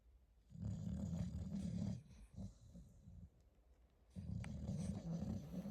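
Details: Staffordshire Bull Terrier puppy snoring in its sleep, deep rumbling growl-like breaths in two long drawn-out bursts separated by a quieter pause.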